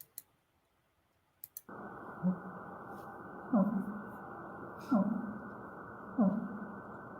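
Fin whale calls: short, strong downward-sweeping pulses repeated about every second and a half over a steady hiss.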